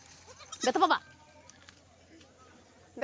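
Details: A goat kid gives one short, wavering bleat lasting under half a second while an uncle and nephew tease it in play. Men's voices talk before and after, and a faint second cry comes at the very end.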